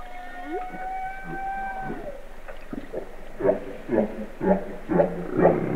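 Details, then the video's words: Humpback whale vocalizing: a sustained harmonic moan that bends downward and ends. It is followed by a run of short pulsed grunts and whoops, roughly one per half second, over low water noise. "Humpback Whale Talk"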